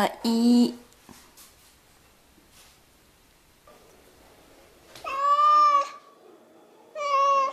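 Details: Domestic cat indoors, its meow likened to saying "mom": one long, strong, slightly wavering high meow around the middle and a shorter, rising meow at the end, after a brief low voice at the start and a quiet room between.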